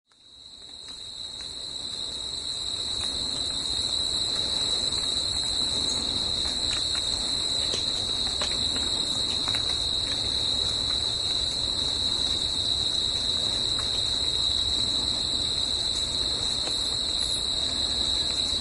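Crickets trill in a steady, high-pitched chorus that rings on without pause.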